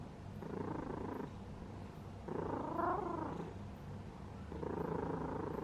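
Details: Sleeping domestic cat purring: three rhythmic bursts of low, rumbling purr, each about a second long and tied to its breathing, separated by quieter pauses over faint room hum.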